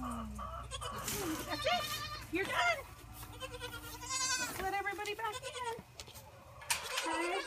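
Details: Orphaned Boer goat kids bottle-fed together from a wooden six-bottle feeder, giving repeated wavering, nasal bleats of varied pitch that overlap one another, with a woman talking softly to them in between.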